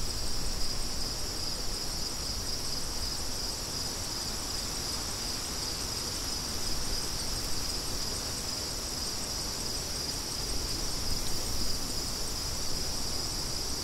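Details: A bright, unbroken band of pulsing cricket chirps carries on throughout, while wind hisses and rumbles steadily underneath; crickets and wind as background sound.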